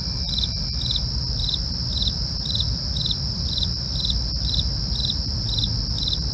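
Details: Night crickets calling, short bright chirps repeated about twice per second above a continuous high-pitched trill, a few faint clicks early on and a constant low rumble underneath.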